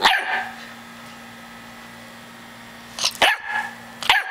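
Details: A chocolate Labrador puppy, smallest of its litter, barks once, goes quiet against a droning hum, then gives two more quick high barks.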